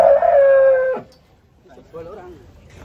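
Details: Giant cattle being unloaded from a truck in the morning at Pasar Jerok market: a loud, steady, tonal bellow holds about one second then breaks off abruptly, followed by quiet human voices nearby.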